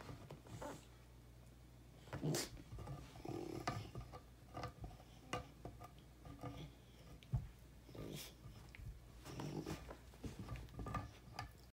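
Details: Basset Hound named Bruno in a living room, chewing on a seasoned birch beaver stick: low, rumbling growls come in short bursts between sharp cracking and crunching chewing noises, with a steady low hum underneath.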